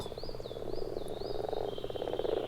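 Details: Common frogs at a spawning pond in Finland in spring, eggs already rising to the surface: soft, low, rapid pulsed croaks merging into a continuous purring chorus, with a few whistled bird notes above.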